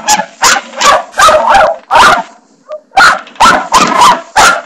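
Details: Indoors, the dog Barney barks repeatedly at the bathroom doorstopper: loud, raspy barks about every half second, with one short, faint squeak in a gap midway.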